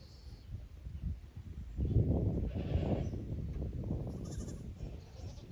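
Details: Young kid goats from the lower pasture visit the upper pasture at Yoshigake goat farm on 15 May 2024, hesitant in unfamiliar ground; a short wavering bleat rises near the middle over low thumps and rustling.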